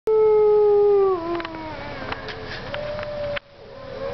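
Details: Wolves howling at Parc Oméga, recorded 7 March 2013: a strong steady howl drops and slides lower after a second, then weaker overlapping howls and a few clicks follow.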